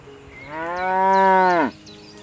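A cow gives a single long, rich moo that swells, holds steady, then drops away at the end.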